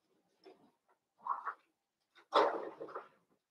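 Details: Blenheim Cavalier King Charles Spaniel puppies from a litter of five born at New Year's, indoors in a puppy pen; short soft whines, then a louder, longer yelping burst near the end, with quiet gaps between.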